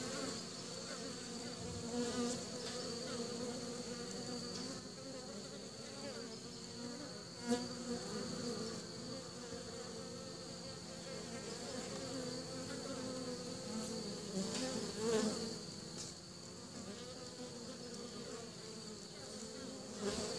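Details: Many honey bees buzz continuously while carrying pollen home to their nest, a layered droning hum with shifting tones and brief sharp clicks or knocks at a few moments.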